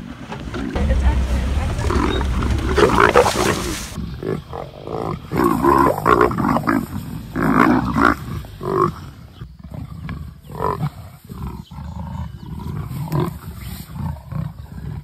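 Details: Two territorial female leopards, Nkoveni and Three Rivers, snarl and growl harshly as escalating territorial displays become an intense dominance fight, with a man talking over the sounds.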